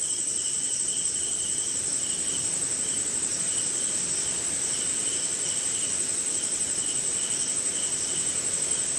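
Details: Crickets heard at night in the rain in India, sustained high trilling band with intermittent lower pulsed chirps every few beats, and a grainy wash of background noise.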